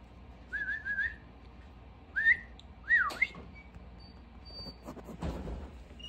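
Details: Bichon Frise puppy, under 55 days old; short high whistled whines, some rising, in three bursts over about three seconds, followed by soft rustling and faint clicks.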